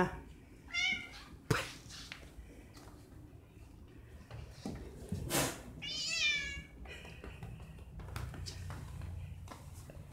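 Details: An overly excited cat named Eva meows loudly indoors, with one short wavering meow early and a longer harmonic one around the middle, amid a woman's Spanish speech and handling noises.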